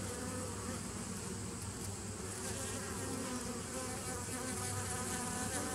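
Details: Continuous buzzing of bees dated 27 September 2018, a thick steady hum with faint wavering overtones and a light hiss, unchanging across the whole stretch.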